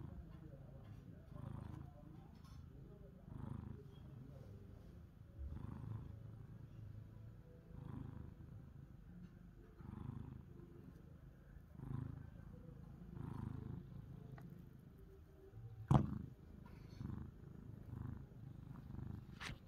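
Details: Pani and Chester, pet cats wanting affection, purr steadily: a low rumbling pulse swelling and fading about every second and a half, with one sharp click near the end.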